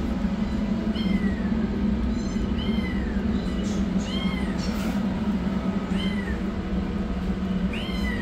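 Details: Hungry rescued yellow kitten heading for food repeats clear, falling meows about every one to one and a half seconds, set over a steady low mechanical hum.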